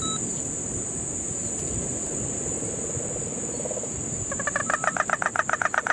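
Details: Puerto Rican crested toad in the Guánica Dry Forest, Puerto Rico, during the September 2007 rains. A faint low trill comes first, then a loud rapid pulsed buzzy trill from about four seconds on. Steady high insect hum throughout.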